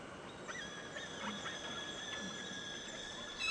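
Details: Killer whales recorded underwater by hydrophone in Avacha Gulf, Kamchatka, Russian Far East, where each pod has its own call dialect: a series of short squealing upswept calls repeated about every half second over steady high tonal hums.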